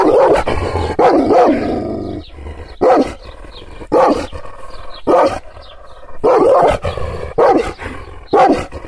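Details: A Kangal shepherd dog, riled up by hand gestures, barks in irregular loud bursts roughly once a second, with short quiet gaps and a few doubled barks.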